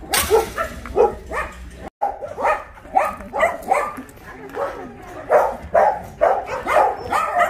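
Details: Dogs barking at the Ulsan Narae-ul Center, formerly Mindeulle Shelter, in Korea, filmed during a volunteer visit; sharp barks repeat roughly twice per second, with one brief silent gap early on.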